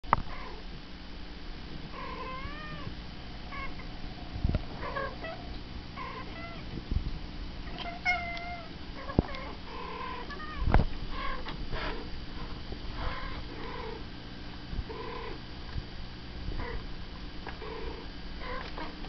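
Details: Domestic cats indoors, answering recorded talking cats; a string of short arched meows, some rising and falling, scattered through the stretch between sharp knocks and a steady low hum.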